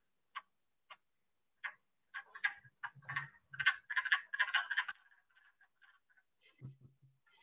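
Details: At a vernal pool in Maine in spring, wood frogs cluck in a soft chorus, likened to mallards: scattered clucks quicken into a dense quacking burst, then trail off over low thumps; the call is subtle and carries only a short distance.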